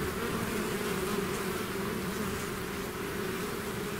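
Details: A swarm of bees out of its hive, a steady dense drone with low hum bands and overlapping wingbeat tones, continuous and even with no breaks.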